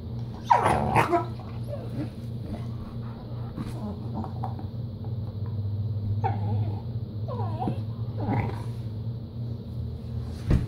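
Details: Skeeter, a dog crossed from Treeing Walker Coonhound and Pit Bull, not wanting to share, lets out one sharp bark followed by scattered whines and soft yelps over a low steady hum.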